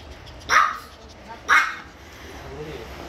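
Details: Maltipoo at a veterinary clinic, with tear stains, during an examination: two sharp barks about one second apart, then quiet room noise.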